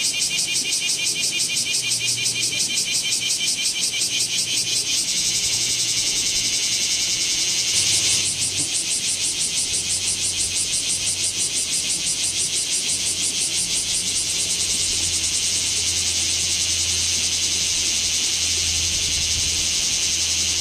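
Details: Bear cicada chorus recorded in Kamo town, 2 August 2026, amid intense summer heat, on a Z50II; a continuous shrill high buzz throbbing in fast regular pulses, with a faint low hum underneath.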